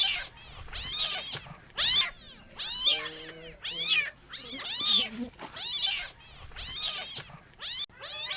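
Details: Repeated shrill kitten meows, each a bright arching cry, coming in uneven bursts about once a second, with a faint low humming tone near the three-second mark.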